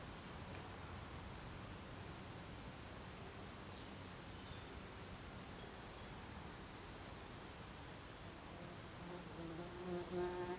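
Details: Buff-tailed bumblebee (Bombus terrestris) at its nest after the dance, Olariaga, Uxinas quarter of Zamudio, Txorierri, Biscay, 24 April 2021; a low, steady droning hum that swells at the end into a louder, banded buzz.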